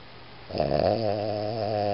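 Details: Iggy, a Boston Terrier, snoring indoors: after half a second of quiet, a steady low rumbling snore begins with a buzzy, layered tone that holds evenly to the end.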